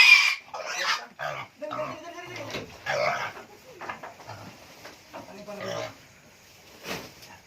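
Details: Native pig kept on organic feed in the Philippines: loud, rough grunting and squealing bursts in an uneven series, with people talking between calls.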